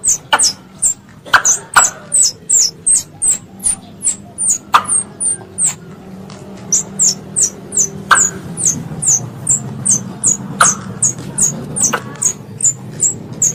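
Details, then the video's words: A squirrel, described as a pest, calls for its mother. It gives a long, quick series of shrill, downward-sliding chirps, about two or three per second, broken by loud clicking snaps, with a low background rumble. "THE SOUND OF A SQUIRREL CALLING ITS MOTHER"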